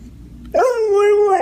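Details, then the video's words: Domestic dog making a funny, weird vocal noise: after half a second of quiet, a sudden sustained tonal whine-like note begins, rich in harmonics, holding steady with a slight downward drift for about a second before ending. "Funny Dogs' Noises! Dogs can say "I love you"!"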